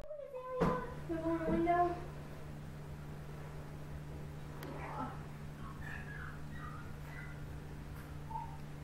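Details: Noriko, a Siamese cat up for adoption, gives a drawn-out harmonic meow that falls slightly in pitch over the first two seconds. Fainter, higher, short chirping calls follow later over a steady low electrical hum indoors.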